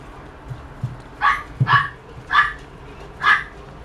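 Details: Toy poodle giving four sharp, high yipping barks spaced about half a second to a second apart, each short and bright, with a couple of softer low thumps between them and a quiet indoor background.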